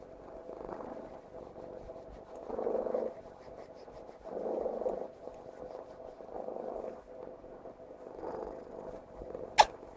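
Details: Purring from Tiffany, a pet cat, during a hug: steady low rumble swelling with each breath roughly every two seconds, ending with a sharp click.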